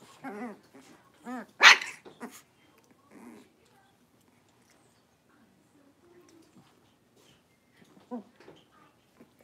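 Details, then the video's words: Young blenheim Cavalier King Charles Spaniels from a five-puppy litter at play in their pen: a quick run of short high barks and yaps, one loud sharp outburst, then quiet with a few small yips near the end. "Cavalier Puppies Livestream: Playing, Barking, and Learning"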